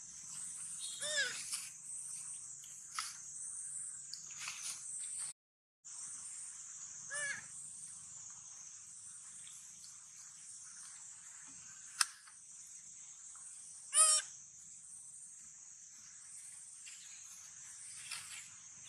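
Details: Sweetpea, a baby monkey, hungry and searching for its mother while eating watermelon, gives sad cries: a few short squealing notes near the start, middle and end, over a steady high insect-like buzz.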